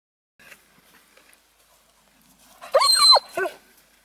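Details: German Shepherd vocalizing during an obedience training session outdoors, practising holding a PVC retrieve item; a loud high whining yelp with wavering, bending pitch, then a shorter second whine, after near silence with faint rustles.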